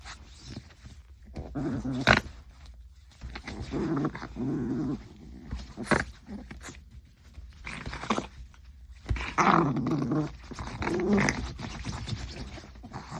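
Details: Maltese puppy play fighting with a person's hand, giving short bursts of low, rumbling growls separated by quieter pauses, with handling rustles and snuffling between them.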